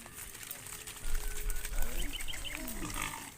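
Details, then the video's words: A cow gives a low, drawn-out moo, calling to a companion over a rumbling background as cows roam in the fields. "Funny cow sounds Calling his friend, Cows roaming in the fields"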